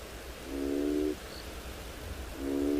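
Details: An African bullfrog, presumed by the guide to be the parent of a nearby clump of tadpoles, gives low, droning, horn-like calls, each over half a second, heard on a February morning game drive in a South African private game reserve.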